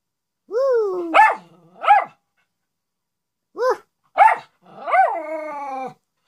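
A Miniature Schnauzer gives short, wavering howls and sharp rising yelps to seek attention.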